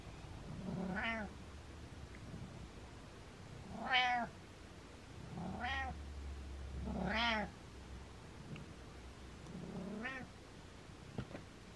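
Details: Pet cat Butters giving a series of five meows about every three seconds, each short and bending up then down in pitch, over a low steady background hum.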